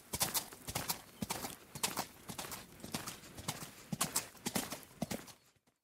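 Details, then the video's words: Hoofbeats of a galloping horse, bright clattering strikes grouped in quick triplets, steady for about five seconds before the sound fades abruptly into silence. "Horse Galloping"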